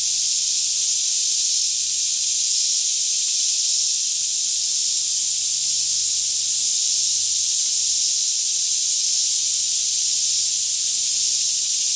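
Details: Daytime chorus of cicadas singing all around in a lush green Kentucky forest near Franklin, about 10am in fairly still air, recorded on a Canon 5D Mk2: a steady, unbroken high hiss-like drone with no pauses throughout.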